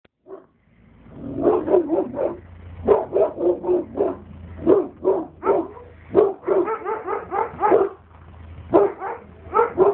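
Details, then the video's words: Alabai (Central Asian Shepherd Dog) named Oktash barking at a stranger: a dense series of deep, hoarse barks, mostly in quick bursts of two to four, with brief pauses between volleys over a low background hum. "Алабай Окташ лает."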